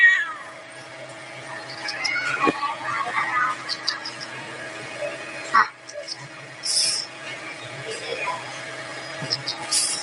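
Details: A cat makes soft, wavering mews and murmurs in the first few seconds, with a short louder cry midway and scattered hissy bursts over a steady hum.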